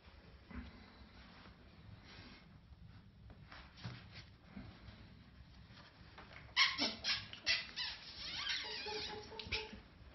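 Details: Puppies: faint rustling for about six seconds, then a burst of high, thin whines and squeaks, repeated roughly once a second and fading slightly toward the end.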